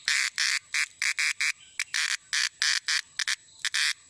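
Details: A cicada sings in loud, harsh buzzing bursts, each about a fifth of a second, repeated in rapid rhythm; such calling is made in the evening or in rainy weather.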